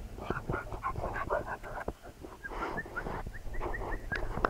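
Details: Two Labrador Retriever puppies learning to fetch: high, thin whining squeaks and short rising whimpers around the upper voice range, repeated in quick bursts, with scuffling and thumps of play throughout.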